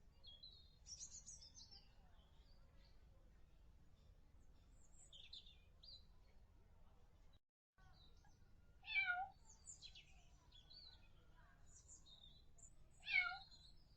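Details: Kittens calling with short, sharp, high mews: scattered squeaks early on, then two abrupt, strong mews about four seconds apart in the second half, with a low hum behind.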